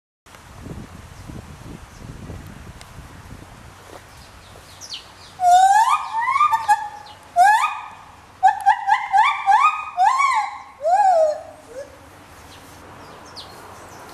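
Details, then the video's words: At Ramat Gan Safari in September 2013, a gibbon sings a rapid run of rising, hooting whoops, loud and ringing after a quiet, breezy start, likened to shofar blasts. "גיבון - תרועה, שברים"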